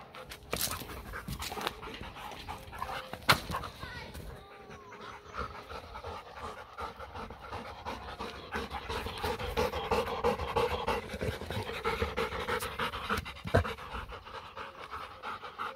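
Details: During playtime a German Shepherd cross Labrador pants steadily, the breathy rhythm interrupted by a few sharp knocks and thuds and a brief quiet pause.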